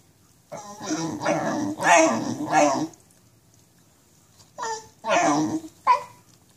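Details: Walking causes pain for this Basenji with nerve root damage; a drawn-out, rough, yodel-like moan is followed after a pause by three short, sharp yelping cries.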